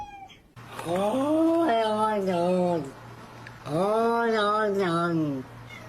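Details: Cat making funny sounds: two long, drawn-out yowls, each arching up then sliding slowly down in pitch, with a pause between them; steady low hum underneath.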